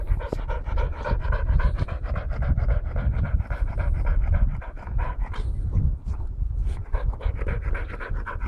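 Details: Steady fast panting from an English Springer Spaniel after running around the garden collecting leaves, breaths coming in an even rapid train with a few brief pauses.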